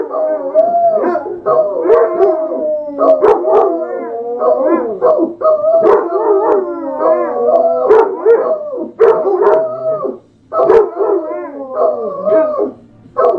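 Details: Three Basset Hounds howling together as a pet group: loud, overlapping, wavering harmonic howls broken by short barking yelps, rising and falling in pitch and continuing steadily with only brief pauses.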